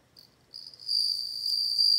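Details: A bell cricket starts with a few short high chirps, then breaks into a steady, bright ringing tone that grows louder over two seconds.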